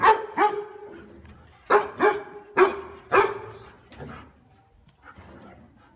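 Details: Deep, full dog barks, said to be loud and strong like a good house guard: two barks, a pause, then four in an uneven run, fading to a softer bark and quiet rustling.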